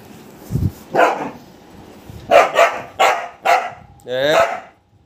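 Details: Golden Retriever pet dog barking repeatedly in short bursts, some paired, ending with a higher, whining, drawn-out vocal note; a human voice is faintly heard among the barks.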